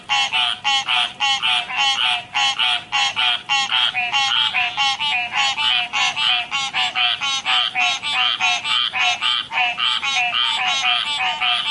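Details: Real frogs croaking near a river: a dense chorus of harsh, nasal, harmonic croaks pulsing quickly, almost two per second, with overlapping callers and no other clear sounds.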